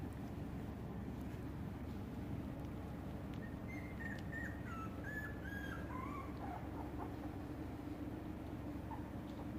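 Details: Shiba Inu puppies whimper in a run of short, high, slightly falling squeaks clustered midway, fainter squeaks after, against a constant low background hum.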